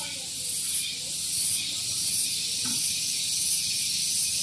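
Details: Shrill, steady buzzing of cicadas on a morning at Gunung Geulis, Bogor, West Java, close to vehicle parking, throbbing in quick pulses a few times each second.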